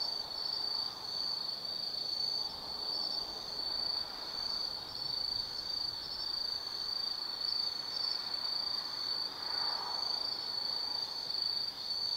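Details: High, ringing trill of autumn insects on a night at Tsukimi no Mori, Kaizu, Gifu, Japan, above the Nobi Plain; the sound is continuous and slightly wavering, with a soft mid-pitched rustle behind it.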